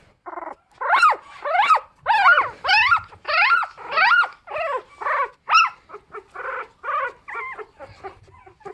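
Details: Bichon Frise puppies about fifteen days old give a quick run of high, whining yelps that rise then fall, about one every half second and fading toward the end.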